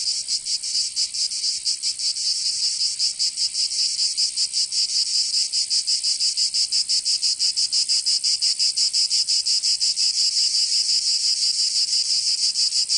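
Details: Cicada song during a Provence summer in the south of France: a continuous high, grating hiss rhythmically throbbing near three beats per second, slightly softer at first, then holding steady.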